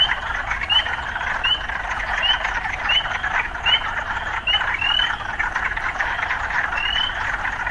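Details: Frogs calling amid urban surroundings: a constant, dense trill with a run of quick rising notes about every 0.7 seconds, then a pause before one longer upward note.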